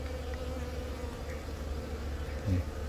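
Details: Bees humming inside a honey bee colony in Yongin Baegam, Korea, April 20, during about eight minutes of egg laying by a newly mated queen from a natural swarm; Galaxy Note 10 recording. A deep, steady drone with a soft low thump near the end.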